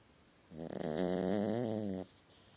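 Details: Puppy snoring in its sleep while having a nightmare, indoors: a single drawn-out raspy snore of about one and a half seconds with a wavering, buzzy tone, then quiet.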